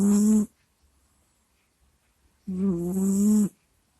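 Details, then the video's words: ['Kusya, a domestic cat, asleep and recorded close to a microphone: two voiced snoring groans, one short and one about a second long, low and steady with a breathy hiss on top, separated by near silence.'] "Прикольный Кот Куся Сопит, Храпит, Стонет и Кряхтит во Сне в Микрофон"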